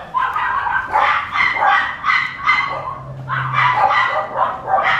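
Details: Papillon puppy yapping almost without pause: strings of high, ringing barks and whiny yips in uneven bursts, with a faint low hum beneath.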